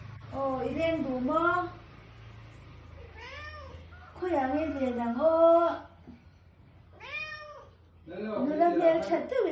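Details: Male Persian cat calling while in heat, a series of long wavering yowls, some rising and falling in arcs, others warbling, in bursts of one to two seconds with short pauses, indoors.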